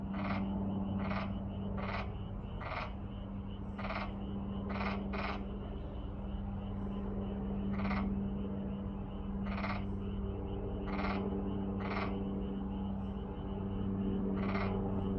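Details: Frog chorus with short rasping croaks repeated in irregular bursts, several per second at times, over a constant low droning hum.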